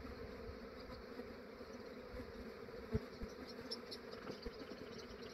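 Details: Massive honey bee swarm being captured by a beekeeper in Australia, early morning before the day warmed up. A dense, steady, low droning hum of many bees, with a few louder buzzes of single bees passing close by.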